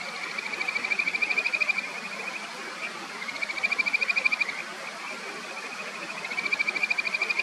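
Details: Kajika frog along the clear upper reaches of the Natori River in Sendai, Japan: three bright, rapidly pulsed trills, each about one and a half seconds long and spaced evenly, over a constant hiss of flowing stream water.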